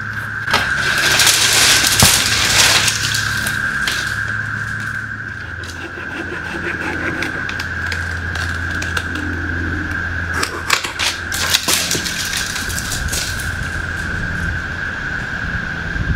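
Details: A cicada chorus drones as a steady, high, ringing buzz during tree work to remove deadwood, over a low engine-like hum and occasional clatter.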